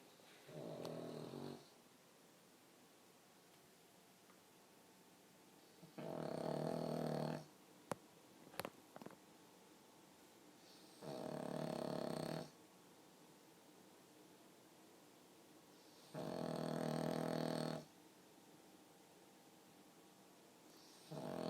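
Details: A pug snoring with a remarkably human-like sound: five rasping, harmonic-rich snores, each lasting about one to one and a half seconds, spaced roughly every five seconds, with quiet breathing pauses in between.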